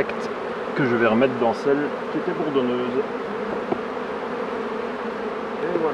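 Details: Colony of honey bees buzzing as a beekeeper tends the hives, a continuous low hum overlaid for a couple of seconds by a man talking, then the drone alone.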